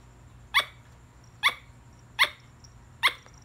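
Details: Four short, sharp chucking barks from a squirrel, spaced a little under a second apart, each a quick bright burst, with a quiet background and a faint low hum.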